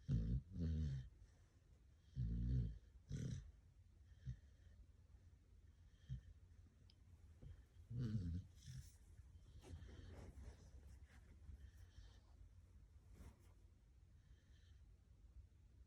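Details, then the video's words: Sleeping dog snoring; deep, rough, rattling snores in bursts near 0, 2.5 and 8 seconds, with softer breathing between and faint background hiss. "cute dog snoring hilariously"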